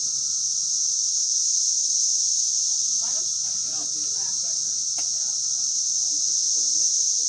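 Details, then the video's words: A dense chorus of Brood X periodical cicadas, emerged after 17 years and flying everywhere along hiking trails at Turkey Run State Park, makes an ear-numbing, steady, high, unbroken hiss over a lower droning hum, with faint voices briefly midway. "Brood X Cicadas sound"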